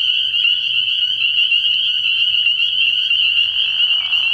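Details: Early-year night chorus of spring peepers at a frog pond. High, ringing peeps overlap into a continuous shrill drone, and a softer, lower trill-like sound joins near the end.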